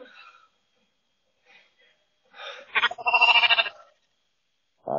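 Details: A lamb talking back to a person over a Ring camera: a wavering, pulsing bleat with a quick tremble mid-clip, preceded by faint murmurs and followed by a short tonal cry, all sounding tinny and compressed.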